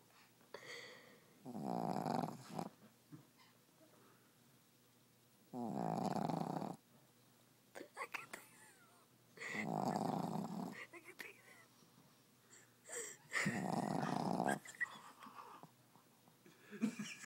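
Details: Sleeping dog snoring indoors, rough rattling snores of about a second each repeating roughly every four seconds, with quieter breathing and small noises between them.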